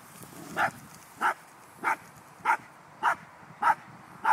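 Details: Cappy, a pet dog, barking at a baby groundhog: sharp, mid-pitched barks at an even pace, about seven across the stretch, with a faint background hiss between them.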